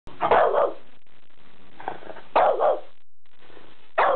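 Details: French Bulldog barking excitedly after seeing a new pull-up bar indoors; three short, rough, mid-pitched bark bursts about two seconds apart, with a quiet room hum between them.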